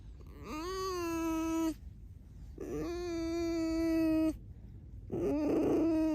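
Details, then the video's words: Pet red fox named Alice giving steady, high whining squeaks indoors, three sustained harmonic notes of about one to two seconds each, separated by short pauses, the last one rougher. "Алиса - лиса. Скрип без разговоров"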